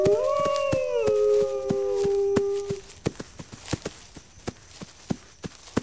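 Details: Wolves howling, a call the pack uses to gather defenses: two overlapping tones slide down and level off for about three seconds, then fade, leaving only scattered sharp clicks.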